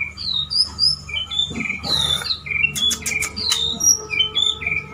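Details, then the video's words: Pet male white-rumped shama courting a female sings high, varied whistled phrases and squeaky sweeping notes with short pauses, plus a few sharp clicks and a burst of noise. "Murai Jantan merayu Betina bikin nyesek"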